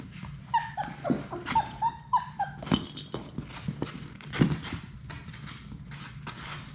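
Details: Labrador Retriever puppies from a litter of six playing in their play room: short, high whining whimpers with several quick rising-and-falling squeals, mixed with thumps and scuffling from the rough-and-tumble.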